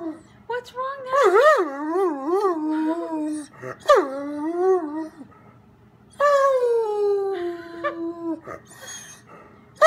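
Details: Howls of a house dog left alone while its owner is out shopping: warbling, wavering notes that rise and fall, then a long steady howl tapering downward, in a small room.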